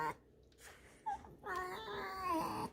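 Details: Alisa, a fox kept indoors and scolded for chewing a rag, gives a drawn-out nasal whining squeak lasting over a second, rich in harmonics, after a short earlier squeal; a woman talks around it in a small room.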